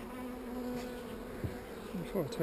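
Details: Bees in an opened hive, described as not so angry, give a continuous low hum. Near the end some wavering, pitch-shifting buzzes rise above it as individual bees fly close past.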